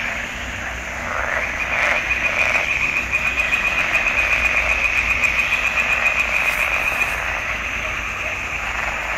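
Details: Frogs calling in a swamp pond in June 2021: a dense, continuous chorus of rapid rattling croaks, many animals overlapping into a steady trilling hum with fast pulsed notes running throughout.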